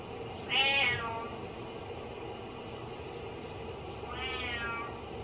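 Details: Butters the cat meowing sadly while the owner showers, as if fearing they went down the drain: two drawn-out, wavering meows about three seconds apart over a steady rush of shower water.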